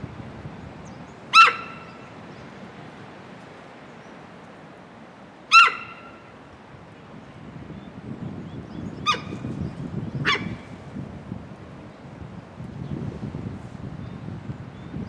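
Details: Suddenly wary, the 15-year-old female Hokkaido sika deer Amanda repeatedly calls at Sapporo Maruyama Zoo on 20 April 2026, part of about ten minutes of loud warning calls. Four sharp, piercing squeals a few seconds apart, with wind noise between them.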